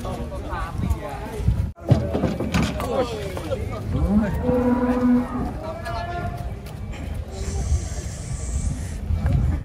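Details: Cattle being unloaded from a truck, one cow giving a low, steady moo of about a second and a half midway through. Excited talking, laughter, background music and clattering handling noises surround it.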